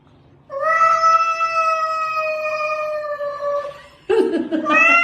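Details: Domestic cat letting out a long, steady, drawn-out meow lasting about three seconds, then a second, rougher meow that rises at the end, with a quiet background.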